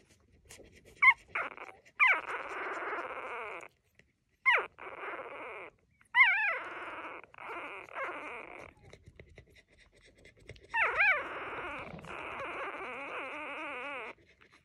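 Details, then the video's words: Three-day-old female puppy giving a series of wavering whimpers and whines, some short and sharp, others long and sliding up and down, separated by brief pauses; no other sounds. "Tiny puppy has so much to say!"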